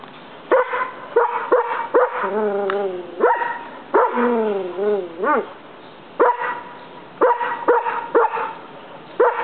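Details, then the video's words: Collie named Tennyson barking indoors at a roommate while other dogs ignore him; sharp harmonic barks in irregular bursts, a few drawn into wavering whining yelps, about one every two seconds. "someone shut that(Collie) Dog up!"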